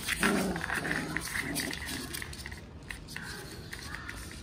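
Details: Puppies playing together give short yelping, growly barks in a quick irregular burst, strongest in the first two seconds and fading, with a faint background hum.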